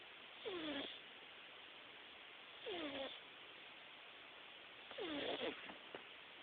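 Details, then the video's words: Napping Himalayan cat snoring, louder in life than on the recording. Three breathy snores about every two and a quarter seconds, each a descending whistled glide with a hissy rasp, the last ending in faint clicks. "the snoring Himalayan Kitty"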